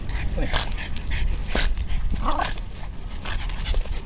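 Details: Several Jack Russell Terriers swimming together, giving short, sharp, broadband barks and yelps in irregular bursts, with human speech and splashing noise throughout.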